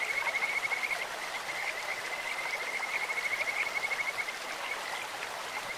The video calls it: 【癒し系】自然音 清流にカジカガエルが鳴く "Croaking of Kajika frogs in a stream"